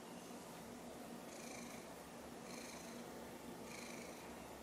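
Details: Continuous indoor purring from Sushi, a domestic silver mackerel tabby, as she gazes up at a confiscated toy she almost swallowed. The rumble pulses in slow breaths, roughly three cycles in under five seconds.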